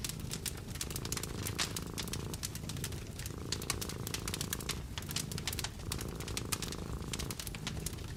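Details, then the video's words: Purring of a cat nestled by the fire in a winter hut, a soft low drone cycling in long breaths with short gaps, while logs crackle and snap busily over it. "Fall asleep to the purring of the cat"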